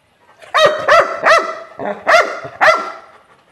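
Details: Angry Labrador Retriever barking: five sharp, harmonic barks in quick succession, each a short loud burst with a rising-then-falling pitch, the last two slightly separated after a brief pause.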